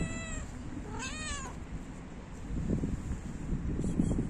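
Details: Stray cat that does not want a person to leave. A faint meow is followed by a louder, drawn-out meow that rises and then falls, both within the first 1.5 seconds. Low rumbling background noise and handling sounds follow.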